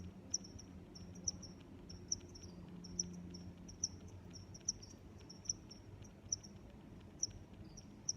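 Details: Cricket chirping: ten sharp, high-pitched chirps, each a brief pulsed burst, repeated steadily about every 0.9 seconds over a faint low rumble of background noise.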